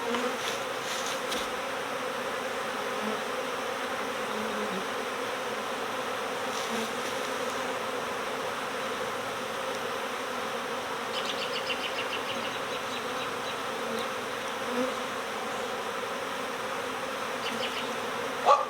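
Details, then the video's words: Honeybees swarming in spring, a steady, dense drone of many wings, with a few scattered faint clicks and brief higher chirps of other sounds riding over the continuous hum. "My Bees Swarmed! Next Door Honeybee Recovery"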